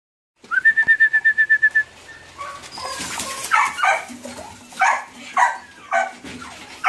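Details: Doberman puppy: opens with a quick run of about ten even, high squeaks, then breaks into irregular whining yelps that rise and fall in pitch, spaced roughly half a second apart.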